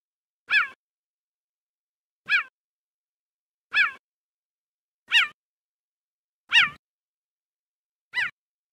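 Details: Male cheetah giving loud, sharp chirps: six short harmonic yelps with bird-like tone, each under half a second, spaced roughly every one to one and a half seconds, against silence.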